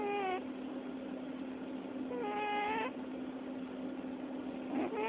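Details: Sleeping cat giving a squeak-snore: thin, high, whistled squeaks rising with breaths, three spaced over five seconds, with a soft steady hum beneath.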